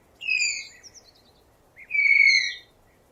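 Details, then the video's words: Two piercing tapir squeals: the first a quick downward-sliding whistle, the second swooping up then holding a level shrill tone, set against soft background hiss. "Real Tapir Sounds"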